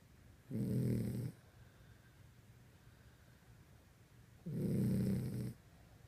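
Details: Dog snoring while asleep at night indoors: two rough, low, rattling snores about four seconds apart, each close to a second long, with soft breathing hush between them.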